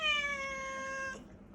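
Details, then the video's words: Pet cat indoors meowing when she wants something, one long clear meow of steady pitch lasting about a second, with a woman speaking nearby before and after. "뭔가 원하는게 있을때만 들을 수 있는 우리 모찌 목소리"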